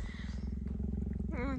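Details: Cheetah Gerda in her enclosure near male cheetah Messi, grumbling over his intrusion into her home ground; short burst of low regular pulsing rumble, with a human voice rising over it at the end.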